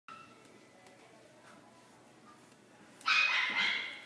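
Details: French Bulldog giving a single sharp, bright bark after about three seconds of near silence. The bark ends in a short, fading tail, with faint room noise underneath.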